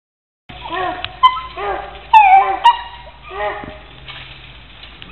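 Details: Puppy escaping a cage gives rising and falling high whines and sharp yips in quick succession, several tonal squeals with harmonics, over faint background noise.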